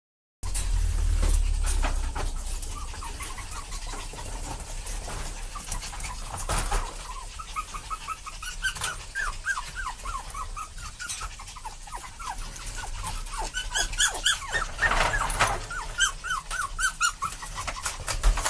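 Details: An excited parent dog and puppy: rustling and thumps at first, then a long run of short, high whimpers and whines, each bending up and down, coming rapidly in clusters through the second half.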